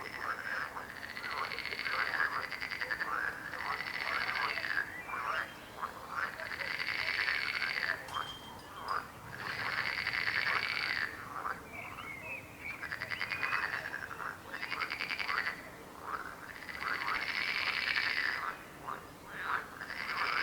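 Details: Frogs croaking in a dense chorus, rapid rattling croaks around two kilohertz in bursts of about two seconds separated by short lulls, with an even high whine running through the bursts.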